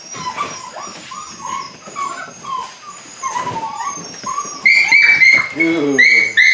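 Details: Belgian Malinois puppy litter, eight weeks old, beginning bite work: short whimpers repeat several times a second, then shift to higher, sharper whines near the end.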